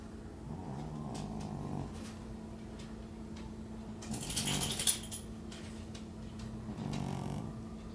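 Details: Teddy, a lilac British Shorthair and Supreme Grand Champion (TICA), relaxed and snoring at home: soft, low rasping breaths near the start and again near the end, with a brief rustle in between and a faint steady hum.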